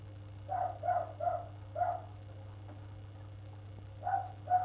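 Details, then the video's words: Neighbours' dog barking on the first of February, keeping on for an hour; a handful of short, sharp barks in a quick run, a pause, then two more, over a constant low background hum. "Neighbours' dog barking"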